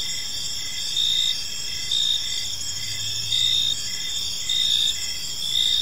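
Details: Park crickets at evening give a sustained high trill broken by louder chirp bursts roughly once a second, with a brief low hum in the middle.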